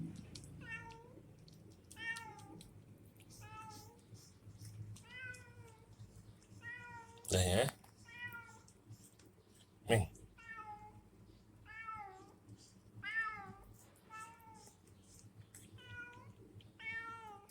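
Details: A cat at a small shop, meowing repeatedly with short rising-falling mews roughly every one to two seconds while a woman softly offers it food; two brief loud knocks.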